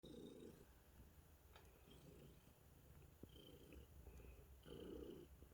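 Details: Contented cat purring, a low rumbling purr in pulsing bursts of about half a second, quiet and close.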